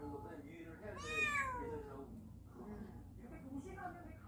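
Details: A cat from a warehouse family that has wandered indoors gives one clear, bright meow that swoops up and then slides down, followed by a softer, shorter mew, with quiet voices and a low hum behind.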